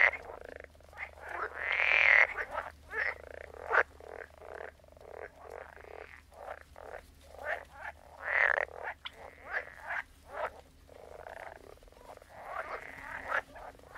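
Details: Frogs croaking in a dense chorus, many overlapping rasping, pulsed calls between mid and high pitch, with louder bursts near two and eight seconds and a steady low hum underneath.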